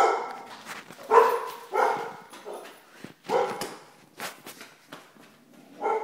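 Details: Vizsla dog giving a series of rough, fairly low barks and gruff woofs at irregular intervals, about six in six seconds, with short whimpering sounds between them.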